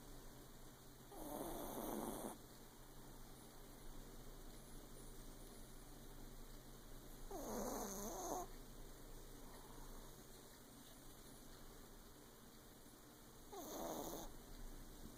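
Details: Female Yorkshire Terrier fast asleep in a dark room, snoring loudly like a human: three long rasping snores at roughly six-second intervals, with quiet breathing between.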